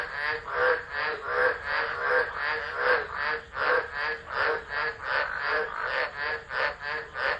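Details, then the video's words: At Driver in Australia's Northern Territory, tropical frogs call through a storm on 13 December 2013. Buzzy pulsed croaks follow one another in a loose rhythm, several callers overlapping into a continuous throbbing chorus. "Tropical Storm Frogs Singing"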